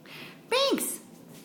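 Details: Binx, a male Blue Mink Tonkinese cat that needs attention and wants companionship around the clock, gives one short meow in a small room. It is harmonic, rising slightly, then dropping sharply within a quarter second. A brief high squeak follows.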